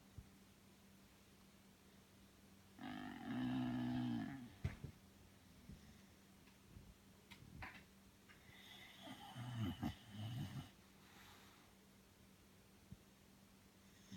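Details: Belle the Bulldog, fast asleep, lets out a strong two-second rasping snore, then a rougher, broken snort several seconds later, with small clicks and a low hum between.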